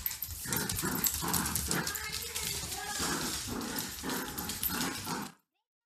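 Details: Two pet dogs, Grace and Button, a cockapoo and a shih tzu, at playtime: gruff, noisy growl-like bursts repeat roughly three times a second over more than five seconds, with a person's voice mixed in, then sudden silence.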